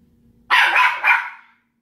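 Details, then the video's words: A pet dog barking at another household pet indoors: one sharp, loud double bark lasting about a second, mid-pitched with a brief second pulse, then quiet. "Petunia can bark"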